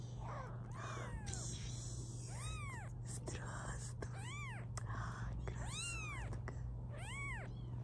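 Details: Indoor litter of five 16-day-old British Shorthair kittens in blue, colour point, black and lilac; repeated high arched mews roughly every second, a woman speaking softly at the start, steady low hum throughout.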